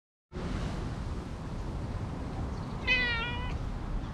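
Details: A stray cat that came out from beside a jogging course, being petted and then climbing onto a lap, gives a single short meow about half a second long that falls slightly, over steady low outdoor rumble.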